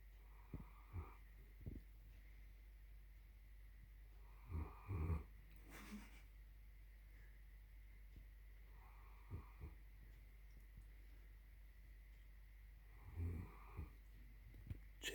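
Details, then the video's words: A sleeping German Shepherd snores loudly: low, rough breathy snores recur every four to five seconds, with quieter snuffling breaths between them in a still room. "german shepherd snores loudly"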